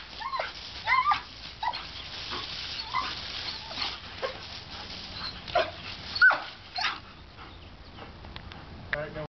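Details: Playful female German Shepherd puppy Boba getting in the way of a hose makes scattered short, high-pitched whines, a few sharp ones rising, amid the rush of water and a person speaking.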